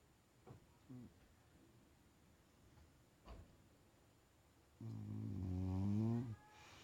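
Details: Bulldog asleep, a few soft clicks and faint sniffs, then one drawn-out deep snore with a slightly rising, rattling buzz lasting about a second and a half.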